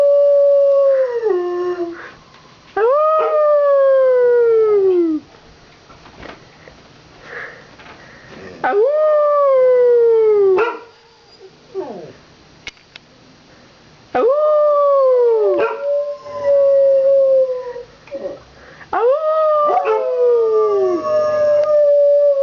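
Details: Two pet dogs, stirred up by fire truck sirens after a Santa Fire Truck Parade passed, give a series of howls about every five seconds; each starts high, bends and slides downward, with quieter gaps between.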